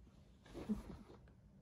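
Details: A 10-week-old English Bulldog puppy, mad at a toy while playing indoors, gives a brief, rough, low growl.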